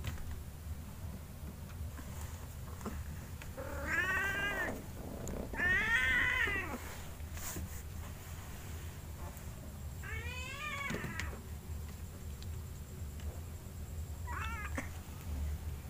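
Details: Two kittens competing to drink milk at night give four drawn-out, harmonic meows, bending up then down, near four, six, ten and fifteen seconds, the last one short. A low steady hum runs underneath in a quiet room.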